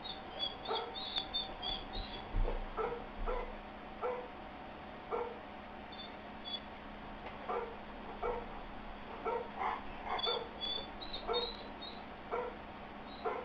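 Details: Confused Airedale Terrier Astor whimpers in an irregular string of short, squeaky whines and yips, with thin high chirping notes sounding above them throughout.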